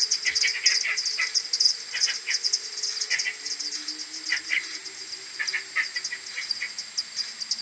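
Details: Morning return of a common pipistrelle maternity colony to its roost on 21 May, AudioMoth 1.1, slowed ten times: high ticking pulses mixed with frequent lower chattering chirps, many bats calling together.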